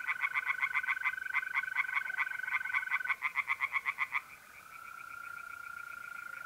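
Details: Singing tree frogs in a pond at night in mid-April, north-east Italy: fast repeated rasping pulses for about four seconds, overlapping and then giving way to the continuous high-pitched trill of mole crickets.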